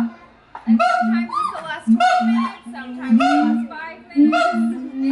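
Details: Siamangs at the Los Angeles Zoo, California, sing loud, harmonic whoops and barks over a steady lower droning tone.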